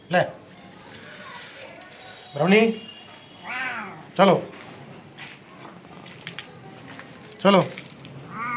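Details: Street kittens crying from hunger for their mother: brief, bending meows every one to three seconds over a busy background of voices and household noise.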